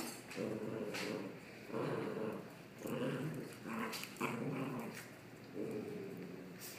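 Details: Pair of dogs roughhousing in play, trading low rumbling growls: five or six grainy growl bursts, each lasting around half a second to a second, spaced roughly a second apart, with light shuffling sounds between.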